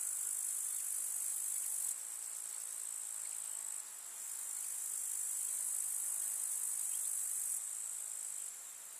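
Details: Grasshoppers chirr and trill in a steady, high, shimmering buzz that runs without pause across a summer village meadow with wildflowers.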